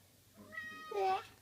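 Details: Indoor cat going after her favourite biscuits in a shopping bag gives one brief, rising then falling meow, with a quiet voice just before it.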